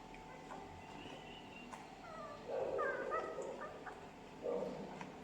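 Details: Twelve-day-old Labrador Retriever puppies; thin, whiny yelps rise and waver around the middle, then a shorter yip near the end, over a steady low hum and faint handling noise.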